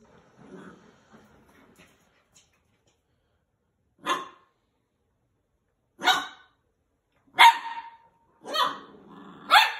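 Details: A Maltese puppy gives sharp, high barks at a toy, spaced a second or two apart, after soft low murmurs.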